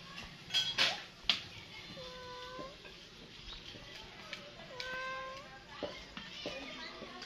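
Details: Cat giving two drawn-out, arching tonal meows, the second longer and slightly bent, with sharp clicks and taps early on and a murmur of voices in the background.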